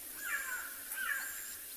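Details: A black-backed jackal gives short, high, wailing cries that slide downward, two in quick succession, calling repeatedly through trees near open plains and a drainage line in a South African game reserve during a hot mid-afternoon.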